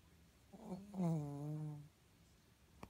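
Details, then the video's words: Shih Tzu making an odd snore while asleep indoors; a single low, droning, harmonic snore lasting about a second, slightly wavering in pitch, followed by quiet and a faint click near the end. "いびきをかくシーズー soring dog Shih Tzu"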